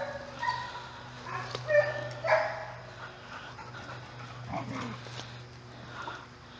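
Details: Dogs playing together in a dog resort nature park during a walk with guests; a few short, sharp yips and barks around the middle, spaced irregularly, over a low steady hum and faint rustling.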